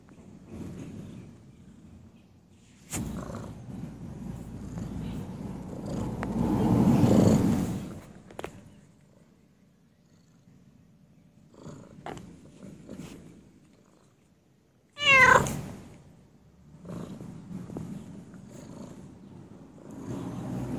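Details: Domestic cat giving low, rumbling purrs in uneven bursts that swell and fade, separated by quiet gaps, with a short rising meow near the end and some handling noises.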